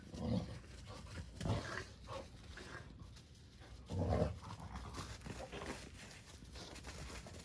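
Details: Indoors, an older resident dog scolds a mischievous male rescue puppy named Sora; three short, low, rough grumbling bursts come at about half a second, one and a half seconds and four seconds, with quiet room noise between.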